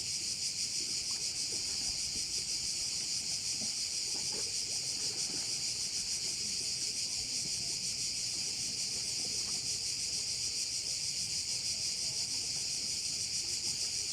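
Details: Insect chorus credited to crickets at a Korčula bay: unbroken shrill high-pitched buzzing that pulses softly around three times per second for the whole stretch, with quiet scattered low background sounds.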